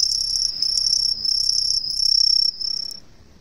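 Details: A green tree cricket (Truljalia hibinonis), an introduced species, hidden in roadside trees in a residential area of Ehime, Japan, gives a loud, shrill, high-pitched trill that rings steadily before fading.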